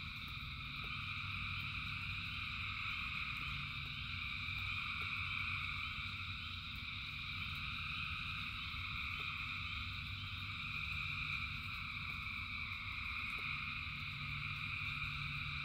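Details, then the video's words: Thousands of frogs singing in the rain: a dense, unbroken chorus of layered high trills, with a steady low rumble of rainfall underneath and scattered soft ticks. "Frogs in Rain 2 Hours of Frogs, Thousands of Frogs Singing"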